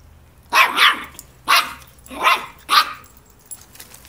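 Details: Border Terrier puppy reacting to a broom, giving five sharp, high, rasping barks within about two and a half seconds, the first two close together, then three more spaced apart, before falling quiet.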